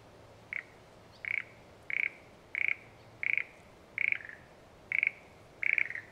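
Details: Frog calling in satoyama countryside: eight short, crisp pulsed notes, each a quick rattle at a fairly high pitch, repeated roughly every three-quarters of a second over a quiet background.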